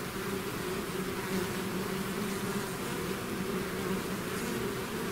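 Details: Swarm of bees out of its hive, a dense continuous drone with steady hum bands near the low-mid range, unbroken for the whole stretch with no other sounds.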